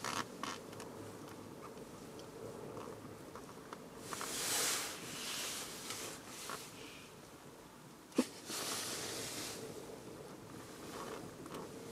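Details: Only gusty broadband rushing, like wind or handling noise, with a sharp click near the end and no clear animal call.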